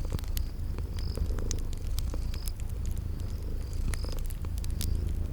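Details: A low rumbling purr from sleeping kitties runs steadily under popping fireplace crackles and occasional thin, high cricket chirps in a relaxing spring garden ambience.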